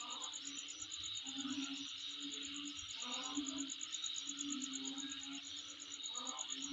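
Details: Insects heard near the recordist's home: continuous high, rapidly pulsing trill over a dense buzzing background, while low droning notes recur every second or so alongside brief mid-pitched bursts.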